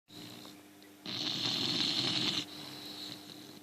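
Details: English bulldog snoring while asleep, its tongue sticking out and spasming; a single harsh, raspy, hissing snore lasting just over a second, framed by a softer steady breathing hum.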